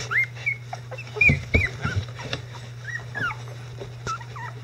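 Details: Icelandic Sheepdog puppies at 11 days old, becoming vocal, with their mother Gaela nearby; high whiny whimpers that rise and bend down, several each second in uneven bursts, over soft thumps and a constant low electrical hum.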